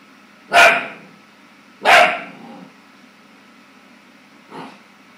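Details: Clumber Spaniel puppy, scared of his own reflection, gives two loud barks about a second apart, then after a pause one softer, fainter bark; steady low hum behind.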